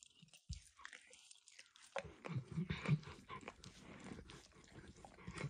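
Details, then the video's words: Emperor Max, a dog, laps at a bumpy orange lick mat coated with eggs or diluted peanut oil; after a near-silent start, soft wet smacks and tongue clicks patter quickly and unevenly, recorded up close without speech. "ASMR Dog Licking"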